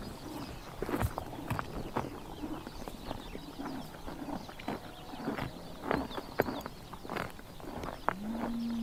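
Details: Horses chomping grass on a Mongolian summer morning in Tuv province, irregular crisp bites over soft rustling, faint bird chirps, and a low steady moan-like call starting near the end.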